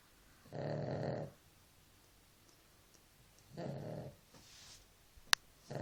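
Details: Dog asleep and snoring: two long, growly, low snores about three seconds apart, each near a second long, followed by a sharp click and the start of another breath.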